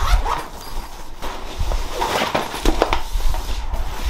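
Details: Tsubu, a male Jack Russell Terrier puppy born 5 September 2020, gives his distinctive cry when he wants attention at home. Short, repeated whining cries rise over steady heavy low rumbling noise.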